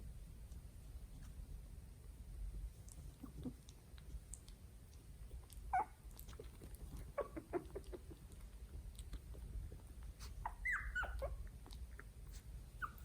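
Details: Three-week-old Italian Greyhound puppies discovering the world, filmed on an iPhone XS: scattered soft squeaks and a cluster of short, high, wavering squeals late on, over a steady low indoor rumble.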